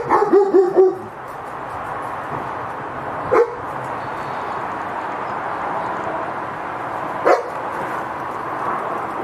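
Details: German Shepherd security guard dog in Cambodia barking: a quick burst of four or five harmonic barks within the first second, then two single sharp barks about four seconds apart, all over a steady loud hiss of background noise.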